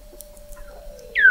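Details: Weddell seal beneath sea ice at McMurdo Sound, Antarctica, November 2017, recorded 21 m below the ice: a faint sliding tone ends in a sudden loud whistle dropping in pitch over a steady hum.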